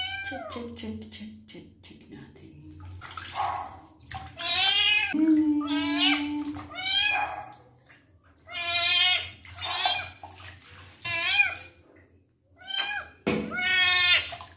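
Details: In his first bath, with his wounds being cleaned, the male kitten Twinkle lets out repeated loud, wavering meows of about a second each. A person murmurs at the start and midway, and a steady low water hum runs underneath.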